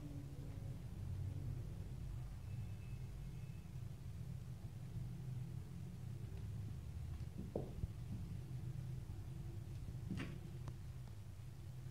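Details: Steady low rumble of indoor background noise, with a few faint knocks and a brief soft scrape near the end and no animal voice.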